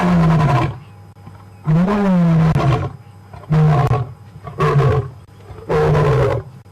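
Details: Closing grunts of a roaring bout by Ginger Matimba, a male lion, very near a WildEarth safari vehicle on April 4. Five short, deep, throaty grunts come roughly a second apart, each dropping slightly in pitch.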